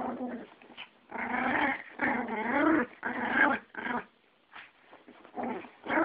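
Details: A Yorkie and a Pomeranian fighting indoors, a friend's dogs, with rough snarling growls in several bursts of about a second each, separated by short pauses and a few higher yips.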